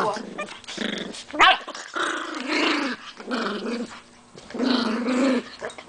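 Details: Pit bull indoors, described as fighting, giving rough, drawn-out growls in several long bursts, with human voices mixed in among the snarls and a sharp louder squeal-like burst early on.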